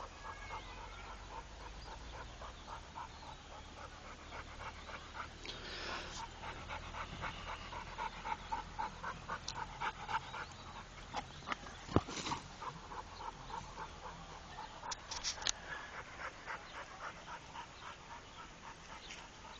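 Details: A trained Pit Bull named Rako breathes in rapid, even pants for about twenty seconds, the rhythm briefly interrupted by a sharp knock and a soft rustle.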